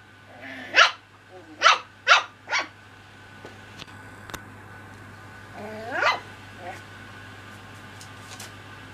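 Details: Playful Cocker Spaniel puppies: four quick high yaps early on, then quiet, a single whiny bark near six seconds, over a constant low hum and a few faint clicks.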